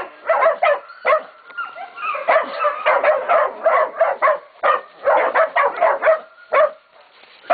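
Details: Catahoula and Black Mouth Cur pups, 11 to 16 weeks old, baying a pig at Golden Creek Catahoulas Kennel; sharp separate barks and yelps mixed with whining tones, more spaced out, ending in a quiet gap.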